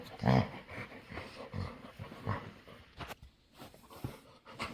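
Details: A playful female dog begs to play. A short, low, moaning vocal burst comes first, followed by softer grumbles and breathy panting-like noises.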